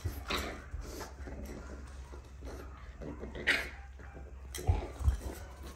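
A Boston Terrier gives a few short, sharp barks and huffs over a low indoor hum.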